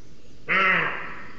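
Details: Wild roe deer frightened by something and barking as it flees, caught by a webcam at a booted eagle nest in Sierra de Guadarrama National Park, Spain: a single loud, hoarse, harsh bark lasting about half a second.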